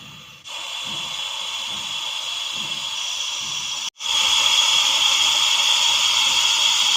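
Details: Russell's viper hissing in Vapi city: a loud, steady, breathy hiss with a short silent gap near the start and a brief break before it resumes louder for the final three seconds.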